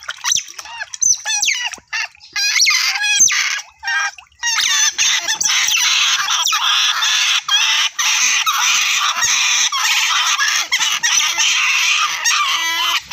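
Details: Otter calling in a near-continuous stream of harsh, shrill, warbling squeals that start choppy and then run together for most of the recording.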